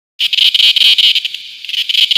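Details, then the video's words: 8 A cicada calls from a tree, a loud, high, rasping buzz that throbs in rapid pulses without pause. "Cicada calling / singing on tree"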